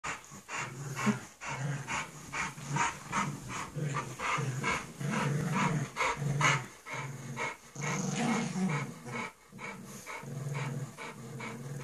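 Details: Bulldog puppy and pug playing together, low rumbling growls that rise and fall in short bursts, broken by quick huffing pants about twice a second, with a steady hiss in the background.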